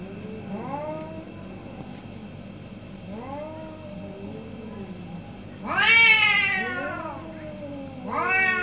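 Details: Two orange cats trade meows in a morning exchange: arched, rising-then-falling mews every second or two, growing louder and more drawn-out near the end, with one call overlapping another.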